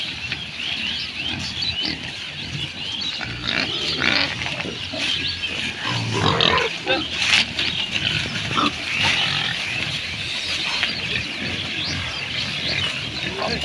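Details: Farmed pigs in a Bangladeshi village grunt and snuffle in rough low bursts, louder around the middle, over a constant hiss of outdoor noise with little speech.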